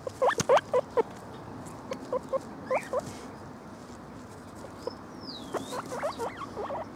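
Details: A male lemon agouti guinea pig gives quick bursts of short, rising squeaks, pausing briefly between runs.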